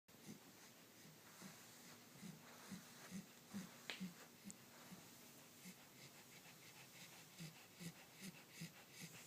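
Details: Sleeping Corgi puppy snoring: soft, low, breathy snores repeating roughly twice a second in an otherwise quiet room.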